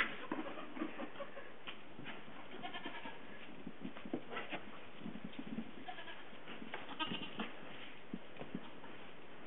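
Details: Two-day-old Nigerian Dwarf goat kids, newborn twins born March 11, 2011 on a farm in Western Colorado, giving short, soft, scattered bleats, some overlapping, amid low background rumble.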